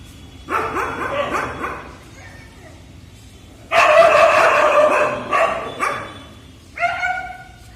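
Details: Dog barking: a burst of rapid, overlapping barks, then a louder, longer stretch of barking, and a final short harmonic bark-whine, over low background noise.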